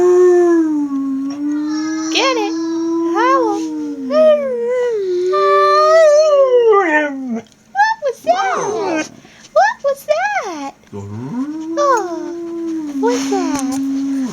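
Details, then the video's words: Siberian husky puppies, described as baby howls, giving a run of wavering, overlapping howls and short yips that rise and fall, with people talking and reacting in a small room. "Husky siberian howling"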